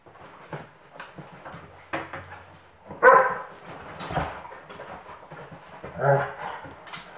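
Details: German Pinschers at play, mother Luna with three puppies of litter T, alongside Doberman uncle Lemon; quiet scuffling broken by a few loud, harsh barks around the middle and near the end, with soft thuds between.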